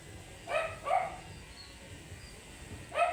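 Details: Two quick, sharp barks close together, then a pause and one more, from an angry matted Shih Tzu being groomed; quiet room noise in between.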